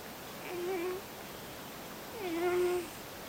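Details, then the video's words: Millie, a sleeping cat, snoring softly in a quiet room: two thin, whistling, steady-pitched breaths, each under a second long, about two seconds apart. "Millie the snoring cat"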